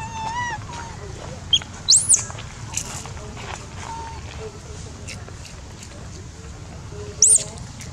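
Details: Dodo and other baby monkeys loudly requesting food at feeding time: a short overtone-laden wail at the start, then two widely spaced shrill, arching squeals, with scattered clicks and a faint low rumble.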